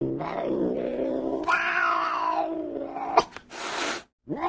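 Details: Angry cat growling in a low, drawn-out, wavering tone that rises into a strained yowl, then a sharp click and a burst of breathy hissing before a short rising cry at the end.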